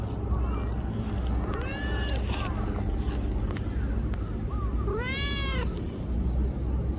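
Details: Petite tortoiseshell stray cat, black and brown, being petted in Japan while sitting beside someone; faint arching mews early, then one loud rising-falling harmonic meow near the end, over continuous low hum and handling rustle.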